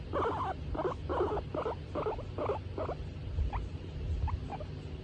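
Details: Stroked and content, the female skinny pig Tomato utters six quick buzzy bursts in a row, then a few faint thin rising squeaks trail off.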